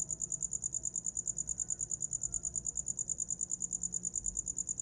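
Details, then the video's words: Cricket chirping for sleep: a steady, very high-pitched pulsing trill, about three even pulses per second, continuing unbroken with only a faint low hum beneath. "Som de grilo para dormir"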